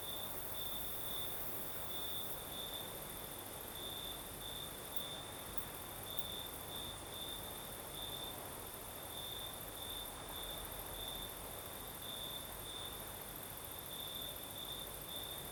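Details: Crickets singing at night in southern Crimea with a night breeze: a steady high trill near one pitch, brightening in uneven pulses, over a constant broad hiss of wind and a faint continuous higher band.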